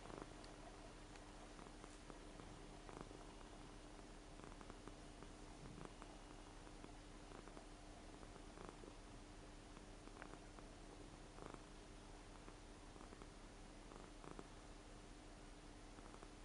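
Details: Seven-year-old Ragdoll cat snoring while asleep indoors: faint, low rumbling breaths with soft pulses every few seconds over a steady low hum, no other sounds.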